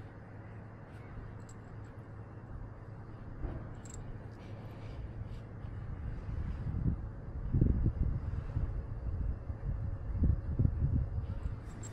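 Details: Low outdoor rumble with wind-like buffeting and soft thumping bumps that grow louder toward the end, plus a few faint high ticks; no animal voice stands out.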